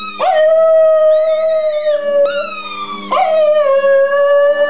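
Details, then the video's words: Pet Border Terrier howling along to a squeaky ball: two long, steady, sustained howls, each starting with a sharp rising onset and held for about two seconds, with a faint high squeak between them and a low steady hum beneath. "Alfie the singing Border Terrier"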